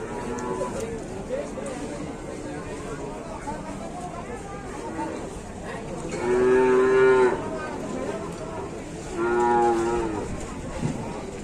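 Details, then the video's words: Angry, agitated cattle in Indonesia, recently released and caught up on a truck, giving two loud harmonic moos around six and nine seconds over steady background music and noise. "SAPI NGAMUK BIKIN GEGER"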